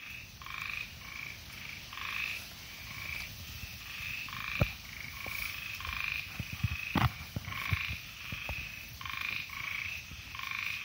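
Ornate narrow-mouthed frogs give quick, raspy, buzzing notes repeated in steady bursts.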